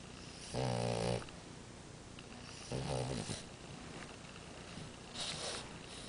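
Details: French Bulldog named Amora snoring: three loud, rasping, throaty snores, each about half a second long, spaced roughly two seconds apart, with quiet breathing and faint room hiss between them.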